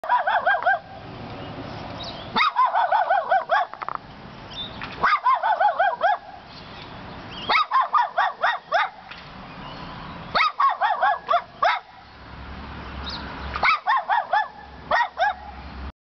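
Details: Neighbor's dog barking at 10:10 AM on 8/7/13 at 25 Clifford Street: bursts of sharp, ringing barks in rapid clusters of four to six, separated by pauses of one to two seconds, repeating throughout.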